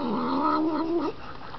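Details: Siamese cat growling while eating ice cream and being petted: a low, wavering, moaning growl that sags and rises for about a second, then stops.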